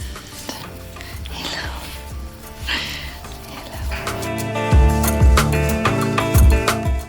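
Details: Background music with a steady beat plays over faint kitchen sounds, with no animal voices heard.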